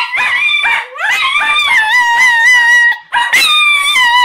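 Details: Chinese Cresteds Mr. Belvedere (coated) and Sprocket (hairless) join their owner in a howling session; rising yelps give way to a long, steady, sustained howl, then a brief silence and another howl.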